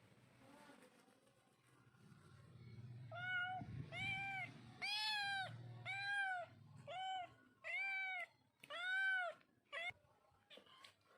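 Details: Cat or kitten giving a run of about eight clear, arched meows, each under a second long, spaced roughly a second apart in the second half, after a quiet start with low background rumble.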